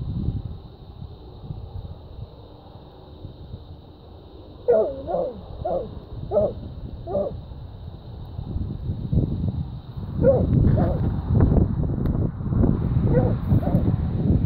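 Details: Dogs baying at a treed raccoon: quiet rumble at first, then five clear, evenly spaced barks about every half second. A denser burst of overlapping barking and rustling noise follows, outdoors.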